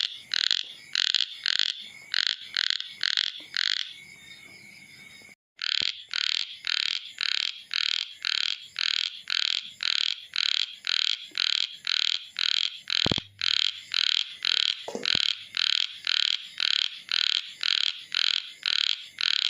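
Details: Chubby frog calling: a steady run of short, nasal, buzzy croaks, about two per second. The series is briefly broken by a drop-out around the fifth second, then carries on just as evenly to the end.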